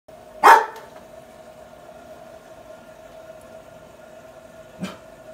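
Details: A two-year-old female Standard Poodle "talks" to a new LG, giving one sharp bark, then a softer huff, over a steady electronic hum.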